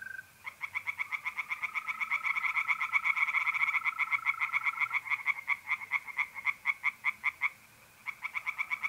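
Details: Tree frogs singing in a pond by night in mid-April, North-East Italy: rapid, regular croaking pulses in a dense chorus, briefly pausing near the end, over a steady, even trill of mole crickets.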